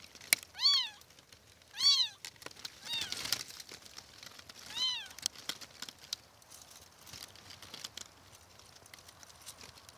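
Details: Kittens mewing: three or four high, thin, rising-then-falling meows spaced about a second apart in the first five seconds, then only faint rustling and clicks.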